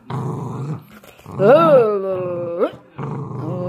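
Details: Dachshund in a tug-of-war game: a rough low growl, then a drawn-out tonal whining growl that rises, dips and bends upward at the end, followed by another low rumbling growl.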